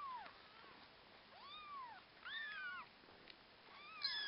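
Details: Orphaned kittens giving thin, arched mews in short bursts, a few voices overlapping, while Akasha the husky puppy helps care for them.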